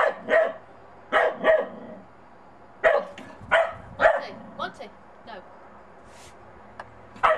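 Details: Monty, a Bedlington Terrier puppy out in the snow for the first time, barks at a small snowman he is unsure of: about six sharp, high barks, some in quick pairs, with a person's coaxing voice in between.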